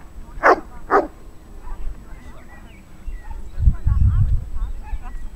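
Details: Chester, an over-eager Saint Bernard, at a class 2 rally obedience trial on 17 July 2016, gives two loud, sharp barks half a second apart. Low rumbling outdoor noise and faint bird chirps follow.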